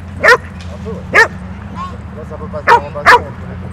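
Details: Dog at Haulover Beach Bark Park, a dog park, giving four sharp, loud barks: two about a second apart, then a quick pair near the end, over a steady low hum and faint background chatter.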